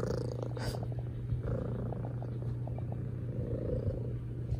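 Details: Cat purring loudly, a steady low rumbling drone throughout with small breathy pulses and a few soft clicks.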